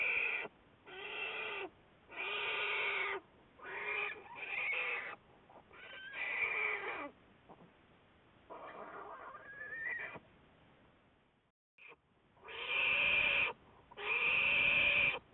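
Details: Calls linked to Juliet, an American black bear followed by Wildlife Research Institute biologists, February 10, 2014: a run of uneven, bleating, harmonic cries, some rising or bending downward, with irregular gaps and a short quiet stretch before two final strong calls.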